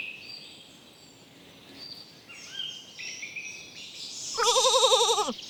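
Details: Lambs grazing in a cool green forest; after quiet bird chirps and high twittering, one loud wavering bleat with a trembling, vibrato quality rises near the end and breaks off.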